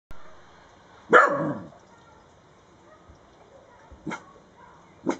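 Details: Dachshund patrolling a gate to protect a rabbit: one sharp, loud bark, then two shorter, quieter barks about three seconds later, spaced about a second apart, with quiet surroundings.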